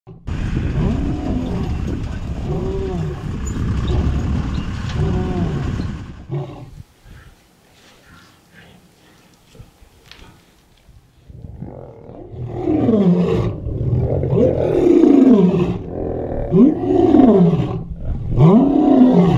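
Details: Free-roaming lions at a feeding session at Mount Etjo Safari Lodge, Namibia, eating and fighting over meat; loud rough broadband growling first, a lull, then a run of deep arched, rising-falling roaring grunts in quick succession.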